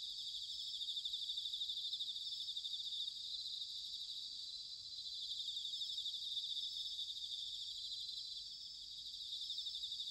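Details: Autumn chorus of bell crickets from Sanuki, Chiba Prefecture, Japan: a continuous, fairly soft high-pitched ringing of many overlapping pulsed trills, gently rising and falling in loudness, over a faint low rumble.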